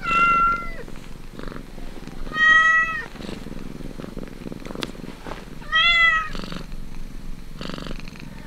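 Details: A kitten at the teat purrs in rhythmic low buzzing pulses while giving three drawn-out, bright mewing cries, one early, one mid-way, one near the end.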